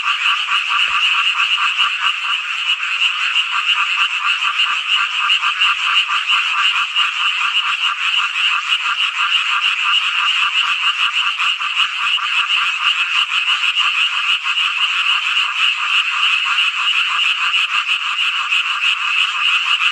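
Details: Many frogs chorusing through a midsummer night in Hongcheon, Gangwon Province, South Korea. Their overlapping croaks blend into a loud, even, rattling trill that never pauses, rapid pulses running throughout.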